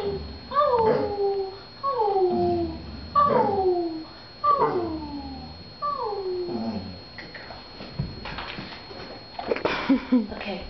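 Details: Pet dog indoors performing on the command to speak and sing, giving five drawn-out howling yelps in about seven seconds, each sliding downward in pitch. Softer rustling and handling noises follow.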